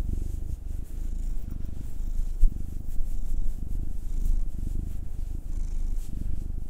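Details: Pet cat being massaged: Will, a nine-year-old black tom, or Anzu, a two-year-old female tortoiseshell Munchkin. A steady, unbroken low purr runs throughout, with gentle rubbing noise and an occasional soft click.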